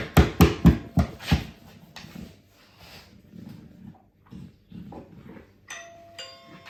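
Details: A female Dogue de Bordeaux guard dog, in the dark, reacts to strange sounds with a quick run of deep, booming barks, then falls quieter.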